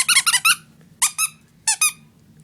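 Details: Puppy Leah, a female indoors and frightened by a hair dryer, gives high-pitched squeaky yelps in three quick clusters, each a run of two to three sharp, bright, harmonic yips. A low steady hum sits underneath.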